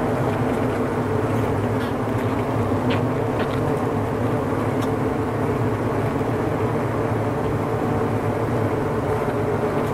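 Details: A steady, low droning hum of many honey bees buzzing together without a break inside their winter cluster, where the bees tend to each other and their queen.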